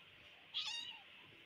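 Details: Kitten playing in a ball pit gives a single short, high meow, rising then falling, over a quiet background hiss.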